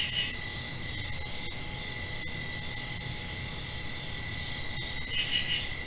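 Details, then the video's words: Night cricket chorus just after rain, a continuous high-pitched ringing trill running throughout, with short pulsed chirp clusters only at the very start and end, over a quiet low hum. "Crickets Chirping"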